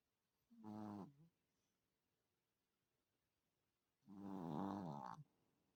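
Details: A sleeping 3 kg Chihuahua snores in two rough, rattling breaths about three seconds apart.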